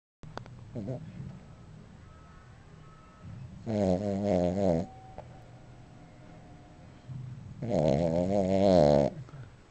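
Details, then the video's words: Sleeping dog snoring loudly, two long rasping buzzy snores about four seconds apart, each rattling and wavering for over a second, with quieter breathing between. "Snoring Dog"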